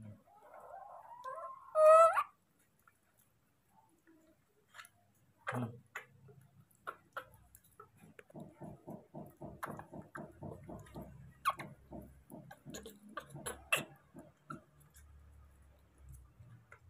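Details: A baby monkey cries out for its father to bring food, one loud, rising, harmonic squeal lasting about a second, then quieter clicking, tapping and rhythmic rustling noises nearby.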